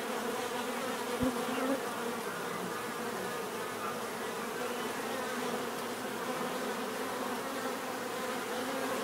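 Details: Even, continuous buzzing of many bees, a dense mid-pitched drone with a brief close pass early on and no other clear sounds.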